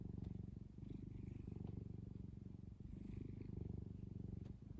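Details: Kneading cat on a soft blanket gives a continuous low purr, a fast buzzing rumble that swells and dips slightly, with light scratchy rustles of cloth.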